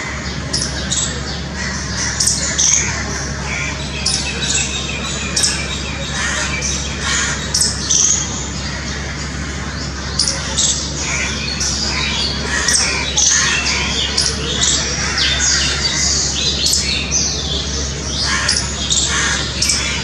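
A squirrel gives rapid, irregular bursts of sharp, squeaky chirps and chatters over a low steady hum.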